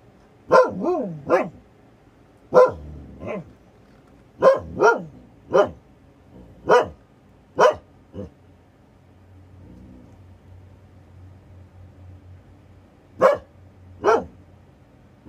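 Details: Husky Nora confronting a plastic bag in her yard alongside her sister Freya; quick bursts of barks, some bending downward into short yowls, then a quiet gap with a low hum before three more barks.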